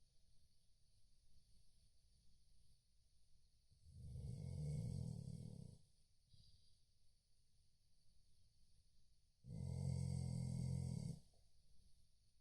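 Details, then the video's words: Chow Chow asleep, giving two long, rough, low-pitched snores about five seconds apart, each lasting around two seconds, with soft breathing noise between them. "chow snoring"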